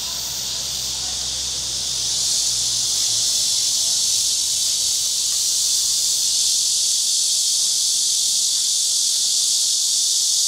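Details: A loud, unbroken cicada drone, a bright shrill hiss that swells slightly after the first two seconds and then holds steady, with a faint low hum at the start.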